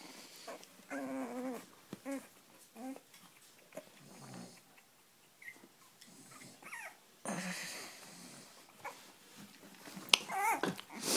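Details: Whimpering Cavalier King Charles Spaniel in Spain, a series of wavering, harmonic whines in short separate bursts, mixed with snuffly breaths and sharper noises, while a person speaks softly in Spanish.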